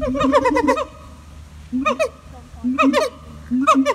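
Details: Siamang gibbons at Taronga Western Plains Zoo in Dubbo give loud, harmonic, hooting notes in quick bursts, each bout a run of rising barks.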